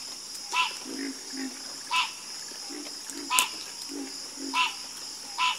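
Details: Night chorus of frogs, with sharp, bright croaks rising and falling roughly every second, interleaved with softer low croaks, over a constant high-pitched insect drone.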